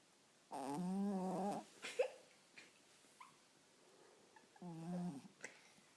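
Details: Sleeping Chihuahua snoring, then startled: a droning, buzzy tone with stacked overtones lasts about a second, followed by soft rustles and small clicks, then a second, shorter drone, all quiet and close.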